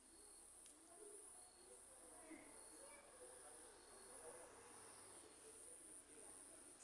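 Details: Cricket calling at night during a lightning storm: a steady, very high-pitched shimmering trill with soft regular pulses, over faint murmurs and distant low sounds in a quiet night setting.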